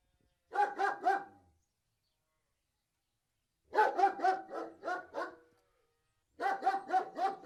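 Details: A large German Shepherd (Alsatian) gives deep, harmonically rich, rough barks in rapid volleys of three to five, each burst followed by a second or two of quiet before it starts again.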